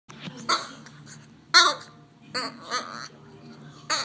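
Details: French bulldog making odd, alien-like sounds: short, strained, harmonic squeals and grumbles in separate bursts about a second apart, with a faint low hum underneath between them.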